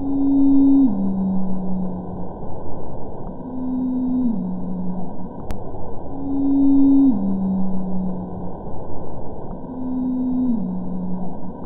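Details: Antarctic blue whale (Balaenoptera musculus) Z calls recorded in 2002 and 2017 and sped up about ten times: long tonal moans that step down in pitch, repeated about every three seconds, the later call lower in pitch.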